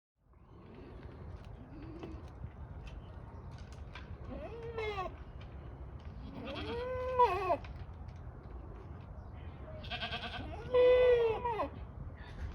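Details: Kiko goat at Assiniboine Park Zoo, recorded in 2023. Wavering, nasal bleats come in a few bouts with pauses between them, the last one loudest, over a steady background hum.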